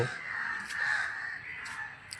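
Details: Bats at a roost in a scenic, shaded area with many kinds of trees; a dense, continuous squabbling chatter of harsh, rasping calls with brief high squeaks over it.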